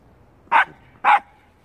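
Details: A young black-and-tan Shiba Inu on a walk gives two short, sharp barks about half a second apart at a stray cat while its owner tells it to stop.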